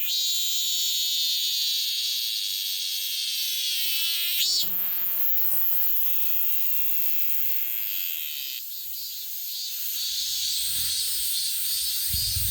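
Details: Cicada singing: continuous high-pitched metallic buzzing with a harsher grinding phrase in the middle, then a steady shrill drone; faint low thumps near the end.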